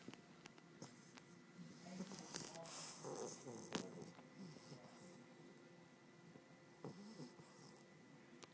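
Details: A sleeping 3-month-old English bulldog snores in rough, rattling breaths, each rasping snort rising and fading over a few seconds.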